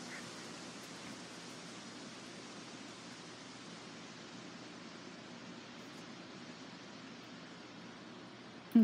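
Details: Low, even rushing noise with a sharp knock at the very end and no animal call.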